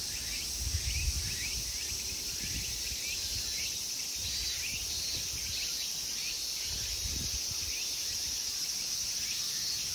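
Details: Insects in summer at a temple park in Ikegami, Tokyo, Japan, keep up a sustained, piercing high buzz without pause. Light chirping flickers overlay it, and a few low thumps sit underneath.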